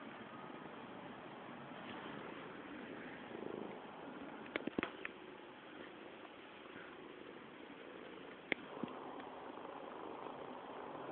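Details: Mr. Cam, also called Matouš, a fat cat at home and satisfied, purring in a steady low continuous rumble, with a few faint clicks and knocks in the room.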